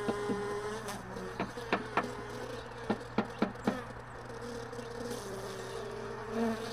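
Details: Honey bees lingering in hive boxes and extracted supers left all day in a truck bed, heard early in the morning as the boxes are stored. A steady, wavering low buzz runs throughout, broken by sharp wooden knocks and clicks from handling frames.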